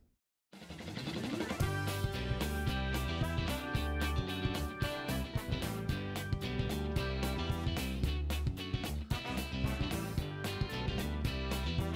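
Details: After a half-second of silence, driving music with drum kit and guitar plays continuously, with no dog or other animal sounds.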